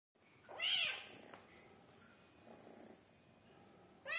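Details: A domestic cat rolling gives one short rising-falling meow near the start, followed by quiet room sounds, soft rustling, and a brief noise at the end.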